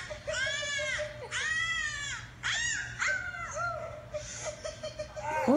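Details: Dog singing indoors, a run of wavering, tonal howls that swoop up and down, each lasting about a second, with a steady low hum in the background.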